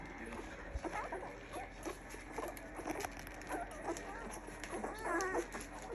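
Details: Standard Poodle puppies, two weeks old, give high, thin squeaks and short whimpering chirps in several uneven bursts, the busiest near the end, while people talk quietly in the background.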